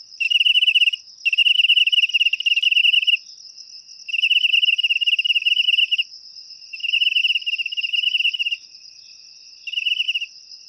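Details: Cricket sound offered as a natural way to drive rats out of a home: loud, shrill pulsed trills in bursts of one to two seconds with short pauses, over a steady high insect hum.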